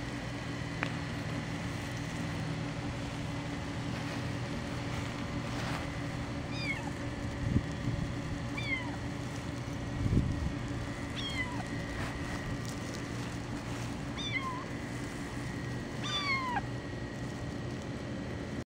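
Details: Five-week-old foster kitten walking on grass beside a lake in sunshine. It gives thin, high, falling meows every two to three seconds over a steady low engine-like hum.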